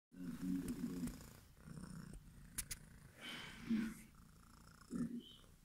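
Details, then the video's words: Domestic cat purring in short low rumbling bursts, strongest at the start and returning in brief spells, with scattered soft clicks and handling noises in between. "Cat is Purrrrring"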